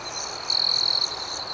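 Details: Crickets at night: one cricket gives a loud, pulsed, high trill lasting about half a second, standing out over a steady shrill chorus of other crickets that continues throughout.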